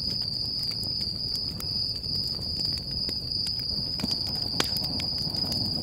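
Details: Night crickets near a crackling campfire at Stoney Creek Campground in California's Sequoia National Park, keeping up a continuous shrill trill while the fire snaps irregularly and hisses softly underneath.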